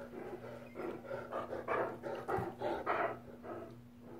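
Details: Two male Great Danes playing rough together, giving a run of throaty, pulsing growl-grumbles roughly twice a second, rising and falling in loudness, over a steady low electrical hum.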